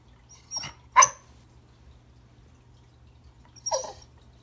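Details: Remington, a Pembroke Welsh Corgi, tries to say hello to a new toy friend under the Christmas tree indoors: a short yip, then a sharper bark, and after a pause another brief bark.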